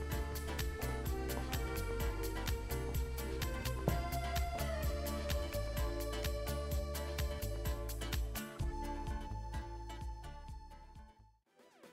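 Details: Busy instrumental background music with steady beats plays throughout and fades out near the end, with no animal sounds.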